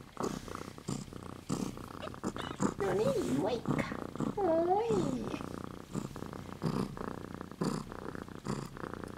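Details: Two silver female Siberian kittens aged 2 and 3 weeks purring in steady low rhythmic pulses, with a human voice speaking softly over the middle of the recording.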